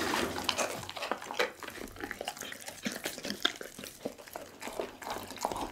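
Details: A Pit bull, Doggy, gnaws through a whole raw chicken indoors. Recorded up close on an Insta360 ONE R, the clip carries wet, smacking chews and sharp crackles in quick irregular succession.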